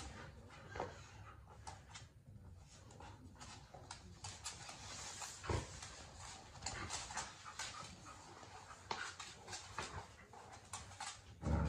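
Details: A Miniature Australian Shepherd makes rough, breathy huffs, quick panting and brief high whimpers while playing tug of war with a birthday present, over scuffling and rustling, with a short human word near the end.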